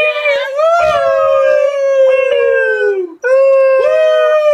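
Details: A domestic Beagle gives one long drawn-out howl that slowly falls in pitch and fades, then a short break before a fresh steady howl begins.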